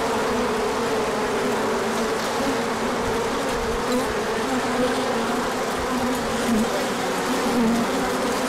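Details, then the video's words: On 24 March 2024, after a colder stretch, bees pour out in sunshine for a large orientation flight while pollen comes in: continuous humming buzz of many insects, with a few bees swooping by in brief pitch bends. "Large Orientation Flight."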